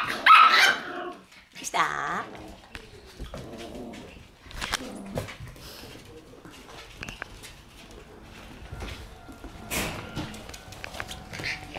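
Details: After dinner on April 27, Shiba Inu dogs indoors give a sharp bark, then a second harsher bark and soft whimpering, with quieter speech, shuffling and clicks in the room afterwards.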